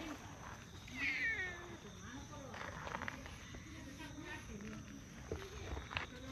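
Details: Stray cats in a park, a tortoiseshell and a brown tabby competing to demand petting; one clear, rising-then-falling meow about a second in, with soft voices and outdoor background noise around it.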